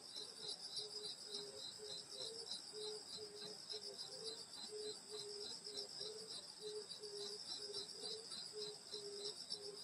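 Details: Insects singing on a summer night in the countryside at a grandmother's house: steady layered high shrill trilling, one pulsed band beating rapidly, under a lower soft note repeated roughly twice a second throughout.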